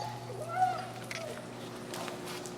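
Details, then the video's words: Finn, an extremely vocal dog in a recall training session with an e-collar and leashes, gives a short thin whimper that rises and falls over about half a second, amid trainers' talk, leash rattles and a steady low electrical hum. "Working An Extremely Vocal Dog"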